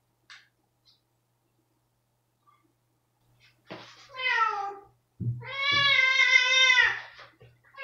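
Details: ['Domestic cat Rosetta reacting badly to a spot-on flea pipette treatment, indoors: after near silence, two loud drawn-out harmonic wails, the second long and wavering, with faint low hum beneath.']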